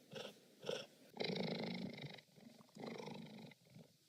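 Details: Cheetah purr in short rasping bursts, with two brief pulses followed by longer buzzy phases that alternate like breathing in and out.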